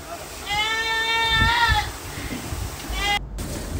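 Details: Ardi goat from Kuwait bleating once in a long, nasal, harmonic cry that swells and fades, followed by low talking and a second brief, clipped bleat.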